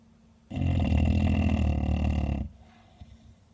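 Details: Elderly 13-year-old female bulldog snoring loudly: one long, rumbling, deep snore lasting about two seconds with a rough, vibrating texture, then quiet room noise.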